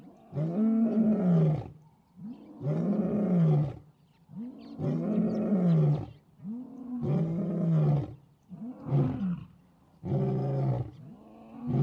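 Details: African savannah lion, following a pride's failed attack on elephants: six deep, throaty roars in steady succession, roughly one every two seconds, each swelling and fading with a bowed pitch contour, on a quiet background.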